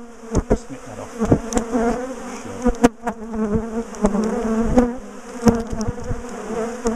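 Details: Honeybee colony from a top bar hive, known for aggressive, chasing bees, buzzing loudly while being split and moved; a dense, steady hum with warbling overtones, broken by sharp clicks and knocks of hive handling.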